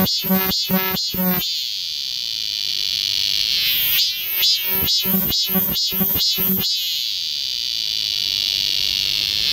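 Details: Cicadas singing together in summer woods of Galsan Neighborhood Park, Seoul, South Korea. A constant high-pitched buzz underlies two bursts of pulsing, rhythmic calls, one at the start and a longer one in the middle.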